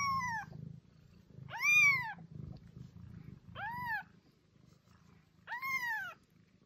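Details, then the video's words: Domestic cat Mimi giving meows meant to attract cats: four arched, drawn-out meows spaced about two seconds apart over a continuous low purring rumble, with a woman speaking French to her. "Attract your cat - Meows to call cats"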